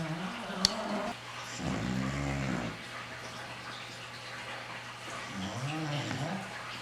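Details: A male English Bulldog, asleep and snoring hard, gives deep, rumbling snores in bursts, each breath rising and falling in pitch.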